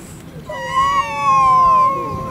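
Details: Fighting stray cats in a Russian city give a drawn-out, steady howl lasting under two seconds, slightly wavering and tapering off, over a quiet street background.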